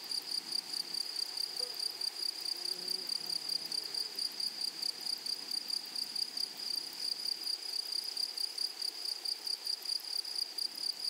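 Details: A high, ringing, pulsed trill from grasshoppers in a flowering meadow runs steadily throughout. Faint low murmurs sound near the start.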